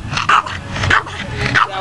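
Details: Boston Terrier, a female dog playing in water, 'talking' while asking for water: three short whiny, moaning vocal bursts in quick succession, each rising and falling, over a low hum of background music.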